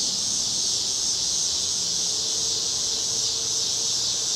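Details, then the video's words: Summer cicadas singing on a Chicago street on a cloudy August evening in 2010: an unbroken, high, hissing buzz held at a steady level throughout, with a faint low hum underneath. "Chicago Summer 2010 Cicadas - Evening"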